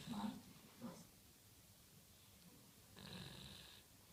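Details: Sleeping dog snoring: a short raspy breath at the start, then a longer hissing, wheezy snore about three seconds later, with quiet between.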